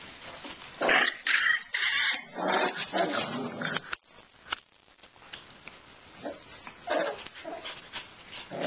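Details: Shiba Inu puppies giving a burst of sharp, rapid yelps and whines in quick irregular succession, then scattered softer squeaks and whimpers after a brief lull.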